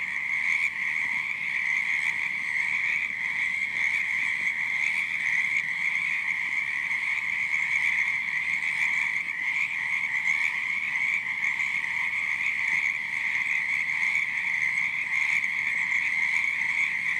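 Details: Night chorus of many croaking frogs, an unbroken shrill, buzzing drone at a constant pitch, layered with faint higher trills, lasting the full seventeen seconds without pause.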